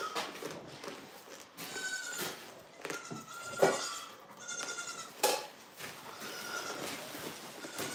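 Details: Farm goat bleating several times in short, wavering, nasal calls roughly once a second, mixed with sharp clanks and bangs and steady background rustle.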